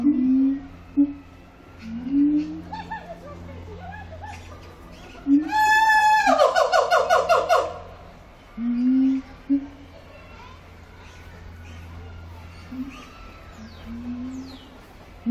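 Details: Siamang, Symphalangus syndactylus, at Zoo Antwerpen: soft rising whoops every couple of seconds, broken midway by a loud burst of fast shrieking barks, over a constant low hum.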